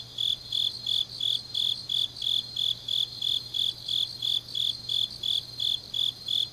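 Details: Late-autumn grass insects chirping at night in Changnyeong, Gyeongnam: a regular beat of shrill, high pulses about three each second, with fainter insects trilling behind and a low steady hum underneath.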